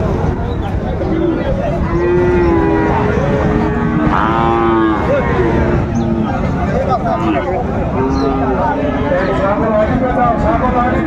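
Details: A Bangladeshi cattle market in Chattogram on 19 December 2024, with Sahiwal bull calves on sale: several low, sustained moos, some rising and falling, spread over about ten seconds beneath shouting voices and crowd noise.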